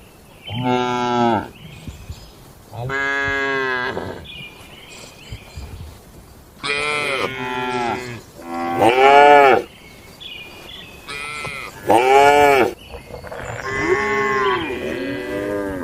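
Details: Several tame cattle in their barn pen, eating and gathering, call in turn: loud, rich moos of a second or so each, some deep, some higher and strained, about nineteen a minute, overlapping near the end.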